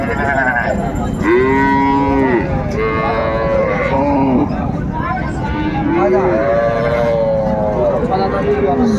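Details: Cattle market scene at Raniganj haat, Dinajpur, Bangladesh, 30 May 2024, cows with calves: a run of sustained moos, several bending downward at the end, one after another, against busy crowd noise and speech.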